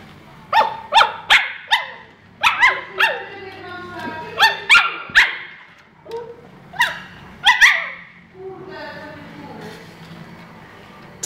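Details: Tequila, a husky, gives a rapid series of sharp, harmonic barks and yelps in bursts, some in quick pairs, across about eight seconds, ending in a softer, drawn-out whine, with faint low background hum.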